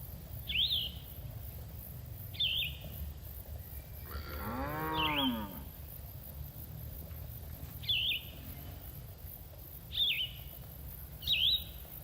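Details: Cattle herd grazing and enjoying the grass in a green field: one drawn-out, harmonic moo near mid-clip. Short rising-falling bird chirps repeat about every one to two seconds throughout, over a low rural hum.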